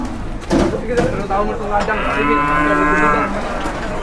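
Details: In Indonesia, two big cattle out of their pen for the first time wait to be weighed. Knocks and clatter open the recording, followed by one sustained, resonant moo of about a second and a half.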